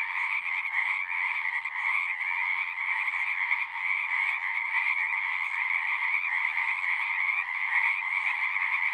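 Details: Many frogs singing together in a continuous, unbroken chorus, a shimmering high trill layered over a lower croaking band, even in loudness throughout with no other sounds standing out.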